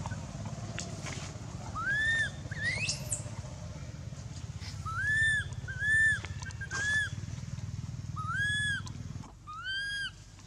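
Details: Baby monkey Anissa at Angkor Wat temple crying in pain after Aron hit her and dragged her across the hard earth: a series of high, arching whistled wails, each rising then falling, roughly six cries over ten seconds over a low rumbling background.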